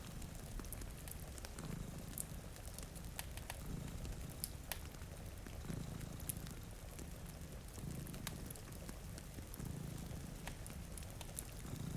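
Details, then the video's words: Low purring from two sleeping cats beside a rainy window swells and fades about every two seconds beneath constant fireplace crackling and falling rain. "Purring Cat"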